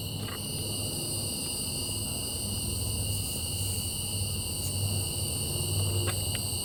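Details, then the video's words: Steady nocturnal cicada buzzing, several piercing high tones ringing without pause; occasional short faint clicks and a low rumbling noise run beneath. "Night Sky And Cicadas"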